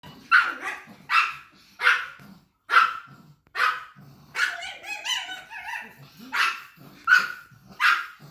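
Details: A pug on a farm gives a series of sharp, broadband barks, roughly one every second.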